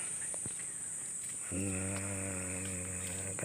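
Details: Pet goat kept by a family, heard around feeding: after a quiet start, a long, steady, low, nasal bleat holds for about two seconds and runs to the end, over a constant high electrical hiss.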